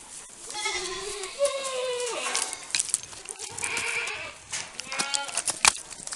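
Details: Overlapping bleats from Saanen dairy goats at BSL Farm in Gunung Sindur, Bogor, Indonesia: a low rising-and-falling cry runs into higher, tremulous calls from other goats, over steady background clatter and rustling.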